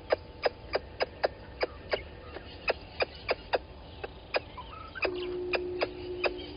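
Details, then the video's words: A squirrel alarms at a water monitor lizard by Gowrie dam, Djuma Game Reserve, Sabi Sand Wildtuin, South Africa, at 11:45 on 10/04/20: crisp repeated clicks roughly three per second, then a steady low drone in the final seconds. "Squirrel alarming at Water Monitor Lizard"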